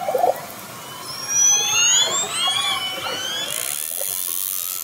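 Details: Orcas approaching a fishing boat, recorded underwater: overlapping harmonic calls sweep upward and bend in pitch, several voices at once, with a high steady hiss over the final second.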